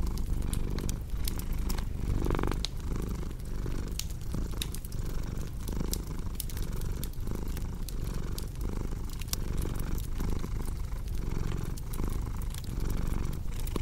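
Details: Low, even purring of a cat with breath-paced pulses about once a second, accompanied by constant crackle and snapping of a fire burning nearby.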